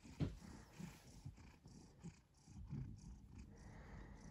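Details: Cat purr as a deep, throaty rumble, swelling and fading with each breath over a few seconds, with faint background rustles.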